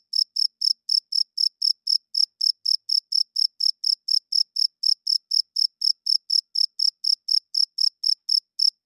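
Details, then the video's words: Night-time cricket song, made by a male rubbing its wings to draw females and mark territory. Bright, high-pitched chirps pulse evenly, roughly three per second, with nothing else audible behind them. "Cricket Chirping Sounds - Cricket klinkt 's nachts luid"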